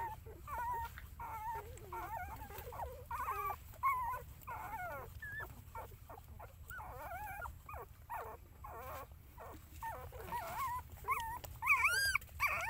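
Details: A mother dog looking after her puppies; dense, overlapping high-pitched whimpers and wavering squeals pour out in irregular bursts, with a louder rising-and-falling whine near the end and a low hum throughout.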